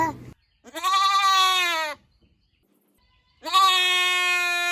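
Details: Goat giving two long, loud, quavering bleats of over a second each, rich and nasal, with a clear silent pause between them and a brief call cut off at the very start.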